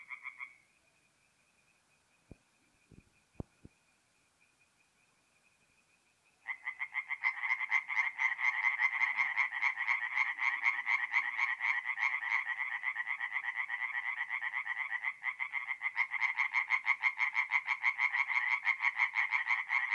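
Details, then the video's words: Tree frogs at a forest pond by night in mid-April, north-east Italy; after six seconds of near silence with a single thin tone and a few clicks, a loud chorus of rapid pulsed croaks bursts in and continues steadily. "relaxing forest pond by night with singing tree frogs"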